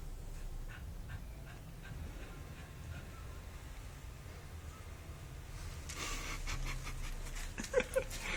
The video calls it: Basset Hound Roncando - Sofia